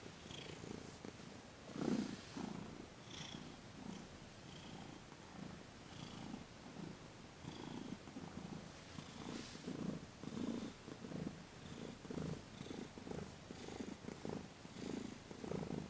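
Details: Purring from Thomas, a house cat being massaged on his legs and underside in a December 28, 2021 Reiki session, a continuous throaty rumble pulsing in rhythmic waves about every second throughout, in a quiet room.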